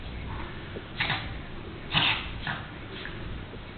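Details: Male house cat in a sneeze attack: a string of four short, explosive breathy sneezes about half a second to a second apart, the second the loudest, against a quiet indoor background.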